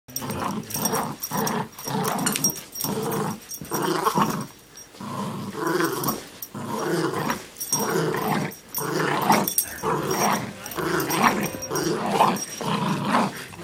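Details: A Chihuahua playing rough indoors, growling in repeated bursts roughly once a second with short pauses between, a rumbling, harmonic snarl, some rustling of play in a small room.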